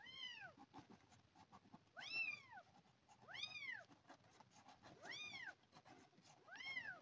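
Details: One of two abandoned kittens found crawling on a garden path, fed milk replacement, meowing in bright arching calls roughly every second and a half over a hissy, rustling background.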